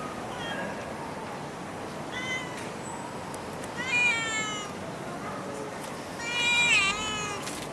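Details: Stray cat in Singapore meowing intermittently: a few faint short calls, then two louder, strained, rising meows about three seconds apart against steady outdoor hiss.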